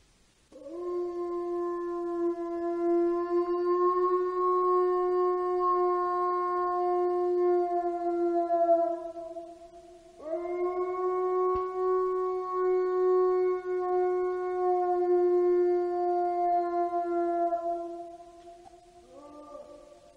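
A wolf gives two long, steady howls, each held for about eight seconds.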